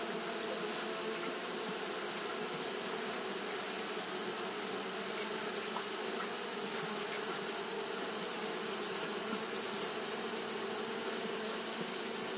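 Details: Japanese honey bees fanning continuously on a hot day: a steady, low droning hum with layered overtones, while a constant thin high-pitched whine runs unbroken above it throughout.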